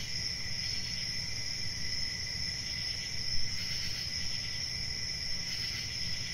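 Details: Cricket chirping forms a constant high shrill band with gentle pulsing, set against a fairly strong low rumble and one brief louder knock.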